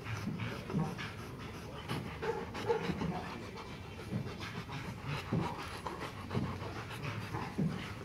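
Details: Gold, a ten-month-old male Rottweiler at Gervi Kennel, panting: soft, breathy, noisy rasps in irregular bursts roughly every two seconds, low-pitched and muffled, with a faint room murmur behind.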